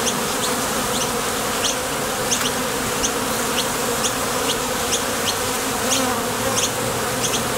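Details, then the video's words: Bees at the entrance of a Top Bar Hive as they come and go to the field for nectar: a dense, steady low buzzing hum from many wings, with faint high ticking sounds repeating through it. "Bees Sound Effects"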